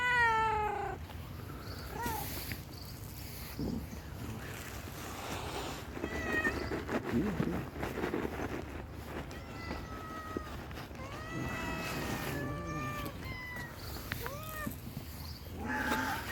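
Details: Stray tuxedo cat, hungry, repeats a run of plaintive meows, short and long, some rising at the end, scattered across the stretch, with outdoor background noise and occasional faint voices.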